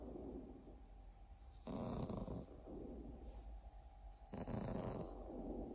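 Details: Exotic Shorthair cat snoring over a steady background hum. Two raspy, wheezing breaths about two and a half seconds apart, each a harsh noisy rush lasting under a second.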